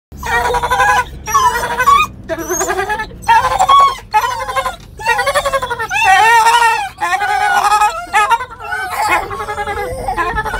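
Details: Several Dachshunds howl together on the way to the vet in a string of wavering, high, drawn-out notes, each lasting about a second.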